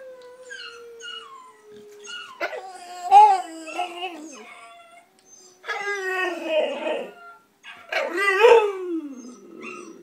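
A bulldog howls in long, wavering cries that rise and then slide down, answering other puppies.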